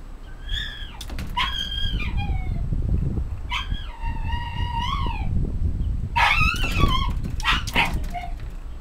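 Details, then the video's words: Shiba Inu left behind as another dog is driven off to the vet, crying out in long, wavering, high whines and yelps that rise and fall, repeated in bursts over steady low rumbling background noise. "柴犬イチの欠点 後追い吠え"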